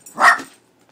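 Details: Leo, a pet dog frightened by the cat picture on a cat food bag, gives one short, sharp bark that fades within half a second.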